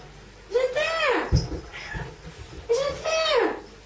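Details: A female pet cat begs for food indoors with two clear, drawn-out meows that rise and then fall, about two seconds apart, with a light knock and faint household sounds between them.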